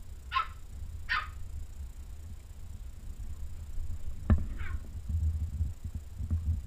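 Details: Pembroke Welsh Corgi puppies let out of their cage and giving an eager welcome, filmed 13 June 2015: three short, high, sliding yips, two close together early and one later, over low thumps and pattering of paws on the floor.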